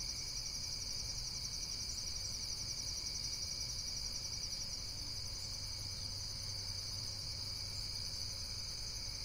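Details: Rapid, high-pitched insect trilling in a constant pulsing chorus, several overlapping layers of fine chirps holding steady, with a gentle low rumble beneath.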